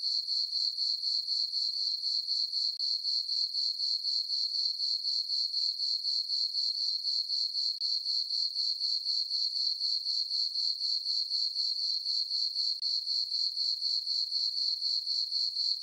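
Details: Summer-night crickets in a moonlit farm meadow keep up a continuous shrill chirping, evenly pulsed at roughly four beats a second, sustained and unchanging throughout, with nothing else audible.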